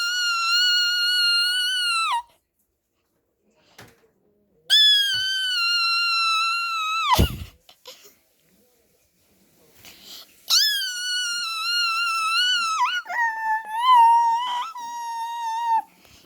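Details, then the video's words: A puppy, answering, holds long steady high-pitched howls of about two seconds each with silent gaps between, the last one wavering and sliding down into a lower, shakier whine. "강아지만 답하는소리"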